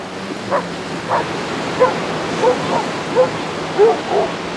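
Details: Basset Hounds on a four-mile group beach walk at Exmouth, 37 dogs together; a run of about seven short, mid-pitched bays spaced roughly half a second to a second apart, with surf-like hiss underneath.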